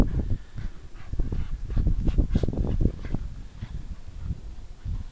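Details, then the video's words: Staffordshire Bull Terrier (Irish Staff), a three-and-a-half-year-old female, barking while playing: rough, low, gruffly growled barks and huffs tumbling out in rapid irregular bursts, loudest midway, over a steady low rumbling background. "Irish Staff barking and playing."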